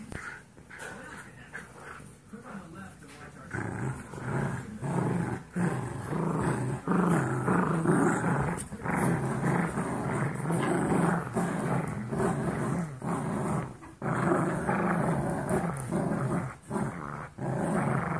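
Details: Two 17-week-old Golden Retriever mix foster puppies wrestling with each other, giving rough, low, rumbling growls in uneven bursts with scuffling, and occasional human voices in the background.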